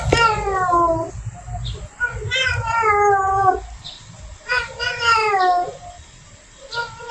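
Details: Female domestic cat in heat calling to attract a male, giving drawn-out, wavering yowls with falling tones, several in a row with short pauses, in a small indoor room.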